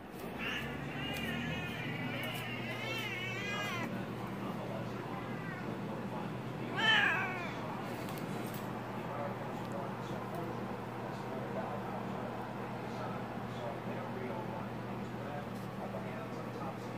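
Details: Siamese kittens complain about being kept off the kitchen counter indoors. A run of quavering meows opens the recording, followed by one sharp, short meow. The rest is quiet room noise with a low steady hum.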